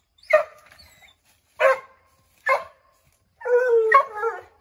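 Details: Redbone Coonhounds barking at a chipmunk they have treed in an oak; three separate hoarse barks spaced about a second apart, then a longer wavering baying howl with a break near its end.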